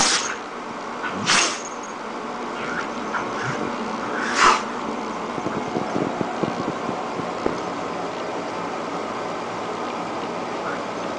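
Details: Jojo, a female dog having a nonstop sneezing attack, lets out three short explosive sneezes in the first five seconds, then only quiet rustling and soft clicks over a low steady hum.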